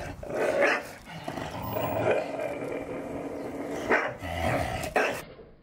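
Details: Staffordshire Bull Terriers playing in the garden, tearing apart the first of the balls each dog received for Christmas. Steady rumbling play growls run throughout, broken by a few short, sharp barks near the start and toward the end.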